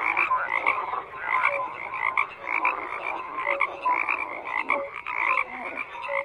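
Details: Crowded chorus of croaking frogs, bright pulsed calls stacked densely, a few deeper short notes and quick rising chirps punctuating a constant churning background.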